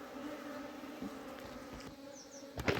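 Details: Honey bees at a hive being cleaned in summer, giving a steady low hum with a higher overtone, broken by soft knocks and a sharp clatter near the end.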